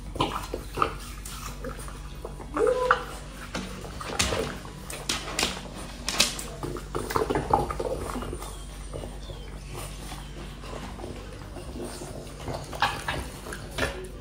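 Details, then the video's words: French Bulldog eating an apple: sharp, crisp crunching bites in irregular bursts, with wet smacking chews between them over a steady low background hum. "ASMR dog eating apple | French Bulldog"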